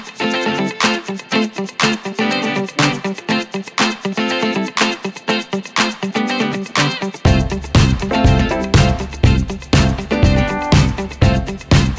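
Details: Upbeat guitar-driven pop music with a steady beat, and a bass line entering at about seven seconds.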